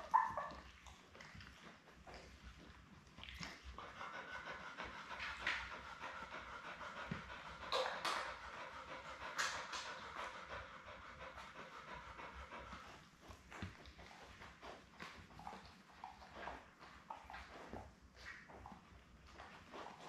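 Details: Labrador Retriever Belle with her seven newborn puppies, born May 24, 2021, on a live puppy cam on June 4: quiet, breathy panting with scattered soft rustles and a brief louder knock at the start.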